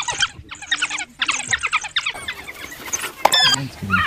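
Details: African wild dog, or painted dog, uttering rapid squeaky chirps and twitters in bursts, with a pause near one second, then scattered higher squeals and a sharp click-like note.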